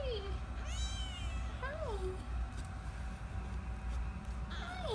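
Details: Rescue kittens about 15 days old, eyes newly open, mewing softly indoors: thin high mews that rise then fall, about four over five seconds, over a low steady hum, with a woman talking gently.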